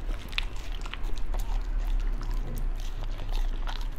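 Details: {'caption': 'Beagle gnawing raw chicken and organ meats indoors, steady muffled crunching with occasional brighter snaps, a low thudding chew rhythm and no other sounds.'}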